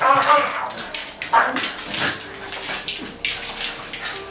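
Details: Shiba Inu dogs at playtime in a dog daycare, indoors; short high whimpering yelps and squeaks in uneven bursts, with a faint continuous tone and scuffling between calls.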